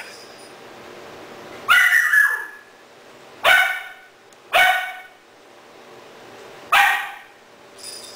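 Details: Three-month-old Doberman puppy barking at a stuffed toy puppy as if it were a real dog, indoors in Cebu City, Philippines, October 2009, filmed on a digital camera; four sharp high yapping barks spaced about two seconds apart, with a steady background hum.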